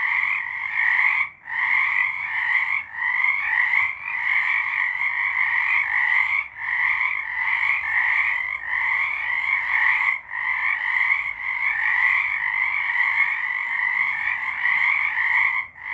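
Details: A night-time frog chorus recorded in March 2023: many frogs croaking together in a steady, buzzy trilling wall of sound, with short dips in loudness every few seconds.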